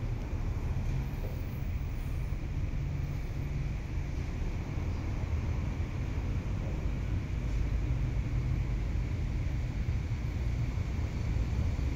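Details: A steady low engine rumble, like a vehicle driving, with no animal voices.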